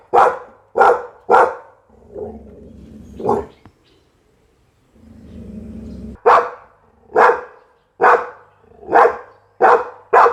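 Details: Barking Pit Bull: three fast barks, a stretch of low rumbling and quiet, then a steady series of evenly spaced loud barks about every second.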